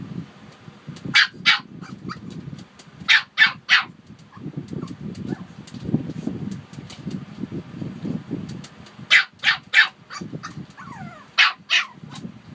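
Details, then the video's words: Short clusters of shrill Shih Tzu barks from Harper and Wuhan come in bursts of three or four, separated by pauses where a low, steady rumble fills the background. "Shih Tzu Barking"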